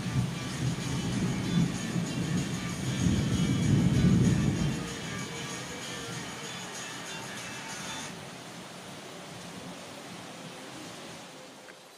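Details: Music over a rumbling engine-like drone that swells, then fades into a softer steady hiss; no animal calls are heard.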